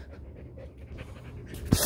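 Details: Restless Border Collie sheepdog that cannot keep still all day, breathing in quick soft pants, then a sharp thump right at the end.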